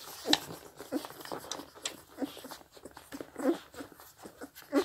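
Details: Scottish Deerhound pups, 16 days old, a litter of seven, nursing from their mother; soft irregular slurping and lip-smacking with a few sharp squeaks, quiet room with slight background noise.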